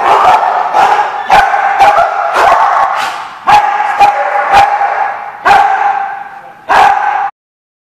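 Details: Dog giving a run of loud, abrupt barks, about one per second and irregularly spaced, each a short harsh burst over a sustained tonal background, ending in silence.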